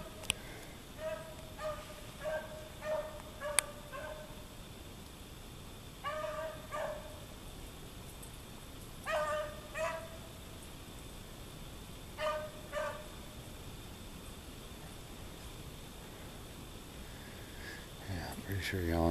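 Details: A dog hunting in a back yard in deep snow in Maine gives short, tonal, yelping barks in quick bursts of two to four, repeated every few seconds, distant and fairly quiet; a person talks nearby.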